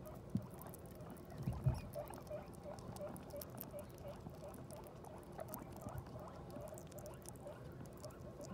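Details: Guinea pig just after giving birth to New Year's babies: a steady series of soft, short, mid-pitched squeaks against a low rumbling background, with a few louder thumps and bumps near the start.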